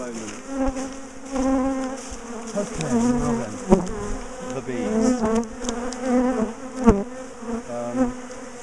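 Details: Many bees swarm around as a big top bar hive colony is taken apart and relocated after ambushing its owners; a steady, droning hum with bending, Doppler-like swoops from passing fliers and occasional knocks.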